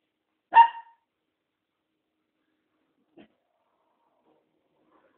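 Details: One crisp, high-pitched bark from Tom, a newly adopted mixed-breed dog, followed by a long quiet stretch with a faint soft knock later.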